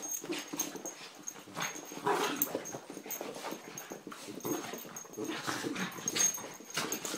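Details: Terriers Poppy, Jazz and Max make a busy stream of short, breathy whimpers and snuffling bursts. Louder yelps rise briefly near the middle. A faint steady high tone runs in the background throughout.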